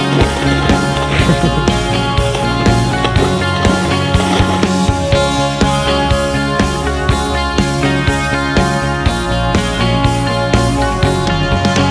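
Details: Loud rock-style music with a steady drum beat, bass and guitar fills the whole recording; no animal sound is heard.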